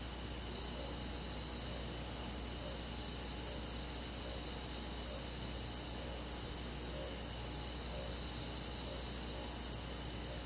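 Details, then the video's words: On a summer night in a rural forest, many crickets and insects trill without pause, their high shimmering pulses overlapping into an unbroken wall of sound above a faint low hum. "잠이 잘오는 여름밤 잔잔한 풀벌레소리"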